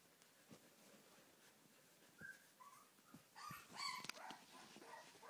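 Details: Two-week-old Siberian husky puppies, born 25 October 2011, whose eyes have just opened, give short, high whines and squeaks in quick, uneven bursts.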